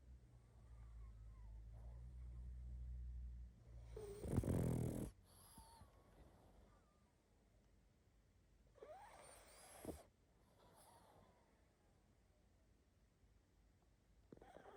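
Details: Pug asleep, snoring and snuffling. A low rumbling drone gives way to a loud, rough snort, then softer breathy snuffles follow a few seconds later over a quiet room.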